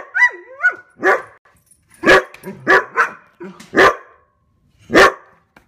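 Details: Standard poodles chasing deer and barking protectively: it opens with two short whining yelps, then loud, punchy single barks spaced roughly a second apart, with brief quiet gaps between.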